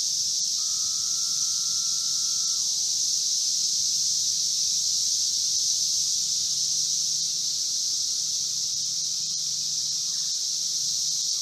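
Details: Periodical cicadas (Brood V, 17-year Magicicada) in Logan, Ohio: unbroken high hissing chorus, one lower sustained drone near the start that falls away at its end, and a faint steady low hum throughout.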